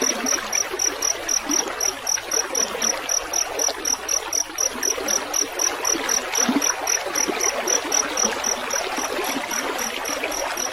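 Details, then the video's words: Steady run of shrill, evenly spaced chirps from a field cricket (jangkrik sawah), roughly four each second, heard above a background of splashing, trickling water; made as mastering sound for songbirds. "Masteran suara jangkrik gemericik air"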